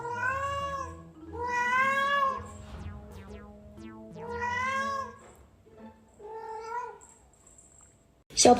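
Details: A pet cat named Yuanbao yowls early in the morning, demanding more food right after eating. Long, drawn-out harmonic meows with a wavering, arching pitch, four main calls spread over eight seconds, with faint background music and a sharp noise burst at the end.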